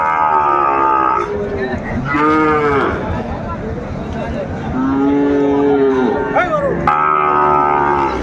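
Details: Several drawn-out moos from a Sahiwal bull calf at a Narsingdi cattle market on 24 January 2025, some high and bawling, others lower and bending, set against constant market chatter.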